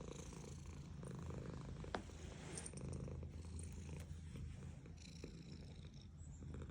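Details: A female domestic cat purrs steadily while being petted, a low continuous rumble pulsing with each breath.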